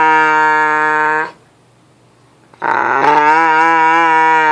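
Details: Dog making weird noises indoors: a long, steady, low moaning howl, then a silent gap, then a second loud held howl that wavers slightly in pitch.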